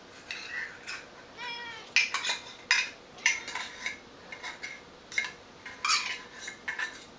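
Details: Eevee, a female cat, excited over wet cat food as she is each morning, gives a short wavering meow early on, followed by repeated clinks and taps of dishes and cutlery.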